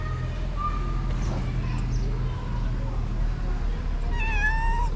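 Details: Stray cat being fed on the street: a drawn-out harmonic meow near the end, rising then falling, after fainter earlier mews, over steady low rumbling background noise.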